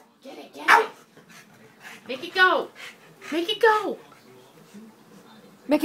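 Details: Moe, a Boston Terrier, barks while worked up trying to play with a cat toy indoors: three sharp, yelping barks with falling pitch about a second apart, then another at the very end, with a quiet room behind.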